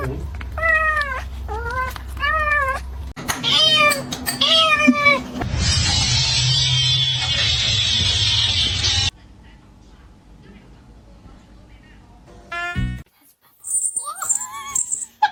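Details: Pet cat meowing repeatedly, about five rising-then-falling meows in quick succession, followed by a long burst of loud hissing noise, then quieter sounds and a final short squeal.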